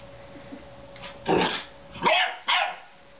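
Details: Belgian Shepherd Groenendael puppy Leo exploring his new home with a young child: three short, sharp barks in quick succession after a quiet start, rising bursts with a steady faint hum in the background.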